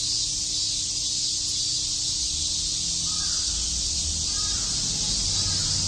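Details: Summer cicada chorus in Tokyo's Shakujii Park: a steady, shimmering high buzz fills the air, while a few faint lower calls, like distant crow caws, break through briefly near the end.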